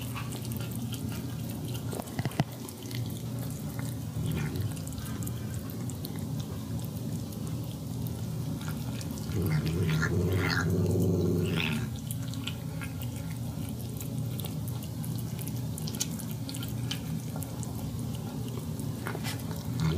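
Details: A pet cat tasting gravy from her food gives a brief 'yum yum' vocal sound midway, a single curving voiced murmur lasting about two seconds, surrounded by a constant low hum and soft wet lapping and dripping noises.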